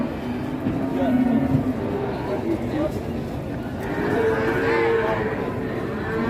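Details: Large cattle, one of two very big animals brought to a busy livestock market in Indonesia, give low drawn-out moos amid constant crowd chatter and background noise, with a louder stretch of lowing near the end.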